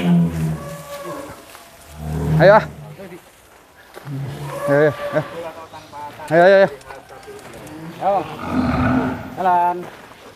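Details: Low moos from Douglass, an Angus bull described as Indonesia's largest, come in short separate bursts amid people talking nearby, with quieter gaps between calls.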